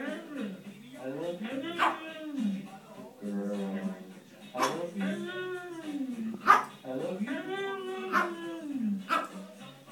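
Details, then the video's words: Siberian Husky 'talking' indoors: a string of about six drawn-out, yodelling howl phrases that rise and fall in pitch, each lasting roughly a second, separated by short pauses and ending in sharper yelping accents. "the Talking Husky"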